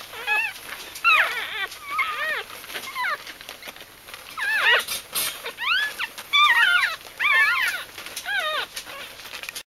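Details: Bichon Frisé puppies in their litter whimpering and yipping, bright upward-sweeping squeaks in irregular clusters, several pups overlapping at times, with brief quieter gaps between bursts.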